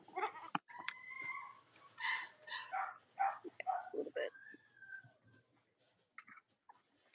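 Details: Cavalier King Charles Spaniel puppies from two litters, indoors on a chilly Monday morning in the US in late October; high, thin squeals and whines near one to two kilohertz, some held and some broken into short bursts, with soft clicks and rustling.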